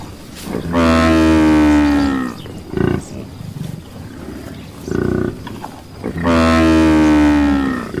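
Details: Buffalo giving two long, loud, drawn-out moaning bellows, each about one to two seconds, rich and harmonic with a slight rising tone, separated by a pause with soft thuds and background rustle.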